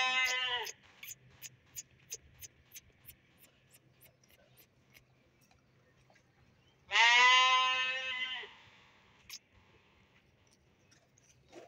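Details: Young sheep (dunba, fat-tailed) let out of their pen for exercise: a short harmonic bleat at the start, then clicking taps, and a longer quavering bleat around the seventh second.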